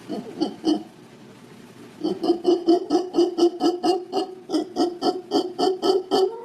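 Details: Howler monkey in Guanacaste, Costa Rica, howling, a call mostly given by males to mark territory and carry through dense canopy. Quiet opening, then a steady run of throaty, resonant pulses, about three per second, each harmonically rich.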